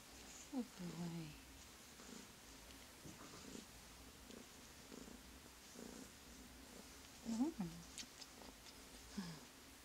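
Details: Widget, a young rescued male tuxedo kitten who purrs the moment he is touched, purring softly indoors while a person speaks to him in short affectionate phrases.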